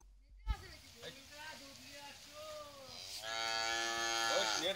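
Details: An eight-month-old Holstein Friesian heifer calf on a dairy farm in Bhangura, Pabna, Bangladesh. A long, wavering, low harmonic moo is followed by a louder, brighter, sustained bellow. Faint background noise.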